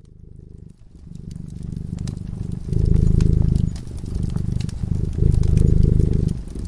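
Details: Cat sleeping in front of a crackling fireplace, purring softly: after a quiet first second, a low rumbling purr swells in long breathing phases, with scattered sharp crackles and pops from the fire.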